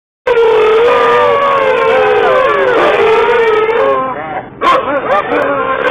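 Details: Several huskies howling together inside a car: overlapping long, wavering, tonal howls of steady mid pitch begin after a moment of silence, drop briefly near the end, then resume with bending, sliding notes.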